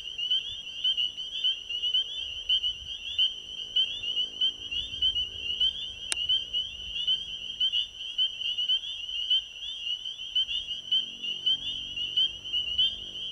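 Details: Spring peepers calling at an ecovillage pond at night: a dense chorus of high, piercing peeps, many overlapping and repeated rapidly, steady throughout, with faint low rumble beneath and one sharp click midway.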